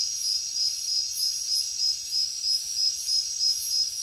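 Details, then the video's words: A nighttime jungle cricket chorus: crisp, high chirps pulse steadily about three per second above a constant thin ringing trill, very even in rhythm. "Cricket sounds |Jungle night"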